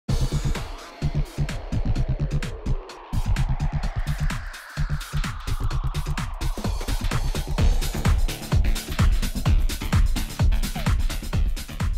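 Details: Pounding electronic dance music with a heavy beat fills the whole stretch, with no animal voice heard.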